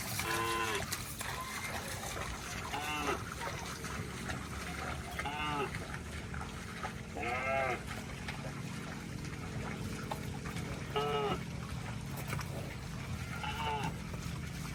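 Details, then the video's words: Cows wading through water in rice fields: about six drawn-out, arching moos roughly every two to three seconds, over steady splashing and a low rumble of water. "Funny Cow Sounds Passing Water in Rice Fields"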